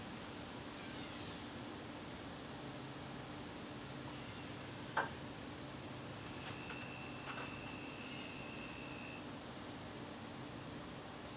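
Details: Crickets in a garden on a September evening, a steady high-pitched continuous trill holding unbroken throughout, with a few faint thin whistles and a single sharp tap midway.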